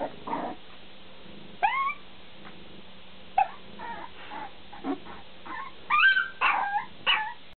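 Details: Bulldog puppies yipping and whimpering, brief sharp upward-swooping cries spaced out, then a cluster of louder squealing yelps toward the end.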